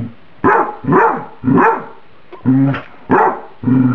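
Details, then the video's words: Dog barking because her microwaved spaghetti is too hot: six barks in four seconds, alternating sharp, rasping barks with lower, more tonal, howl-like ones in a steady, insistent rhythm. "My Dog Emily Barking"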